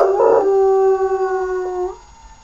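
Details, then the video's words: Puppy giving a short, steady tonal howl with a clear stacked tone, held for about two seconds before fading out. "howlin pup-a-lup"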